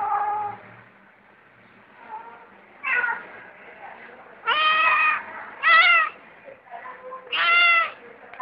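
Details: Cat giving a series of drawn-out, wavering meows, several loud and bending downward at the end, coming roughly every second or two over a soft background murmur.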